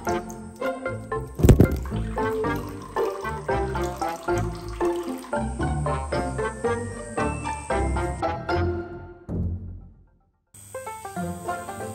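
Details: Steady background music plays throughout, with a brief gap near the end and faint splashing water; no animal voice stands out.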